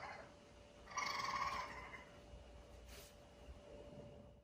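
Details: Raccoon family, the mother Edith and her three kits, rescue animals in 2020 keeping close amid firework blasts; one clear, harmonic squealing note lasting under a second, then quieter rustling and a faint steady hum.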